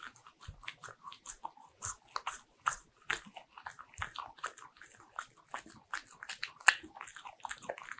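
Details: Indoor close recording of a Bichon Frise crunching butter-ring cookies: rapid, sharp crackling bites repeating several times a second, dry and brittle, with brief pauses and one loud snap near the end.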